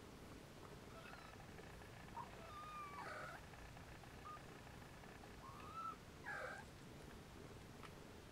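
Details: Nursing Siamese and Snowshoe kittens let out a string of high, thin mews, a few drawn-out and gliding, others brief chirps, scattered between two and six and a half seconds against a low steady hum.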